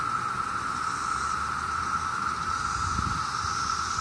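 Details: Massed 17-year cicadas in Maryland during summer give a constant, even-pitched whining hum, steady from start to end, over faint low rumble and a soft hiss of background noise.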